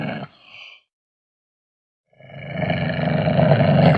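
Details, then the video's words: Ocelot voice: a brief harsh snarl at the start, then over a second of silence, followed by a deep, grating growl that swells steadily louder over the final two seconds. "Ocelot Sound Effects"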